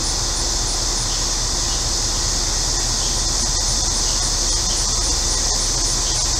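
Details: Cicadas on a hot day in central Illinois: a dense, unbroken high-pitched buzzing drone that holds steady throughout, with a neighbor's air conditioner adding a low continuous hum underneath.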